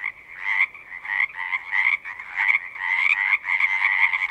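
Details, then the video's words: Frog chorus at a pond in a horse pasture: many trilling, pulsing calls packed into a dense band, swelling and easing in bursts roughly every half second with brief dips between. "Frogs singing"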